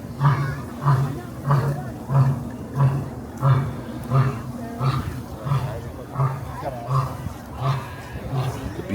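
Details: Lion roaring in its zoo enclosure at Cincinnati Zoo during the Festival of Lights, catching everyone's attention; a run of deep, grunting pulses about every 0.6 seconds, fading slightly toward the end, with people talking nearby.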